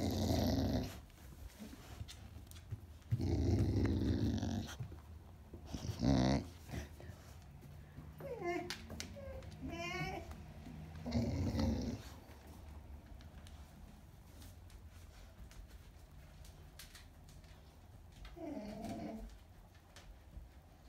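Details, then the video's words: Dog vocalising with a toy in its mouth: low rumbling growls in several bursts, then a higher whiny, wavering moan and more grumbles, trailing off into quiet with a last short whine. "Buzz makes noise when he holds his toys in his mouth."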